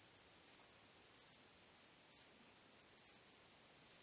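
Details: Crickets at night under the stars, a very high steady trill rising into swelling chirps a little under once a second, about seventy per minute, calm background.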